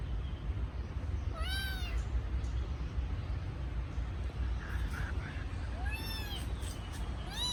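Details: Kitten calling for its absent mother gives three short arched meows, one early and two near the end, separated by quieter stretches with faint scraping and a persistent low rumble.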